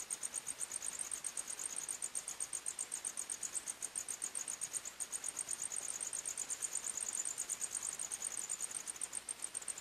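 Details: Crickets singing in a forest at night, bright high-pitched chirps in quick steady pulses, roughly three per second, with two close, shrill voices overlapping throughout; nothing else stands out.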